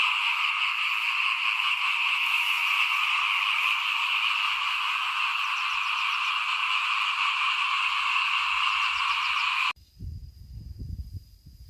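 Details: Small frogs in front of a house during rice sowing, 2021, keep up a thick continuous chorus of rattling trills for about ten seconds. The chorus then cuts off abruptly, leaving only low rumbling noise.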